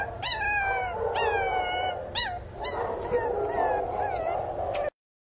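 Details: Pinscher puppy crying loudly for its missing mother: repeated high whining cries that start sharply and slide downward, about six across the stretch, over a steady low background hum.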